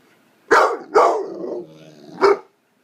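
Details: Nine-month-old blue fawn American Pit Bull Terrier, a male pet, barking for attention: two sharp barks in quick succession, a drawn-out whining tail, then one more bark after a short gap.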